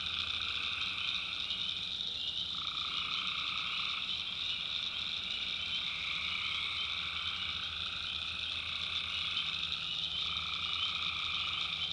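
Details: Tree frogs at night in a backwoods North Carolina swamp: a thick, unceasing high trilling chorus, with a mid-pitched band pulsing in and out every few seconds and a soft low drone beneath.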